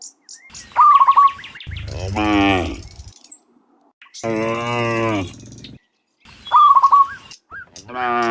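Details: Afternoon herd of dozens of cows returning from the fields to their pen; two long, throaty moos separated by pauses, with quick whistled bird notes before and after.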